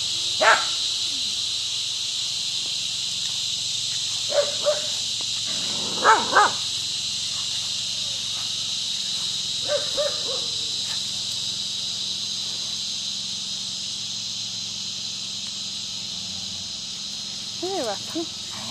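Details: Scottish Terrier Rocky barks at the neighbour's dog during play; scattered single and paired barks with long gaps, a few whiny yelps near the end, cicadas droning high and constant throughout.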